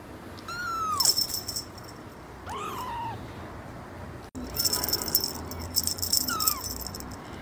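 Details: Kitten giving three thin, drawn-out meows, each sliding downward in pitch, separated by pauses, with light rattling and clicking noises in between.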